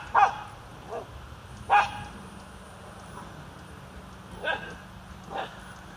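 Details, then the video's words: A dog circling a goose barks at it, giving five sharp, abrupt barks at uneven intervals, two loud and three softer, over a steady low hum. "Crazy dog barking at a goose"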